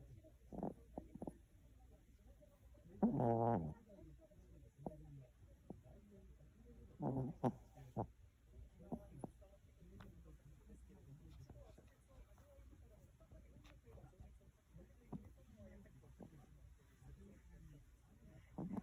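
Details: Snoring from a dozing Chihuahua: quiet, rough breathing with brief clicks, broken by two stronger buzzy snorts about four seconds apart early on, then softer irregular snuffles in a still room.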